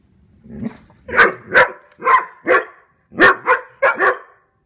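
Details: Two standard poodles barking while chasing deer, guarding their owners: a soft low growl-like onset, then seven sharp, loud barks in two quick bursts, each about a third of a second apart.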